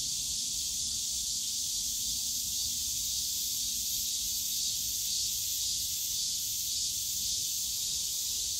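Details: A loud, constant cicada drone in Yongsan Family Park's bamboo forest on a summer day, a high buzzing hiss without gaps, with only a little low-pitched background noise.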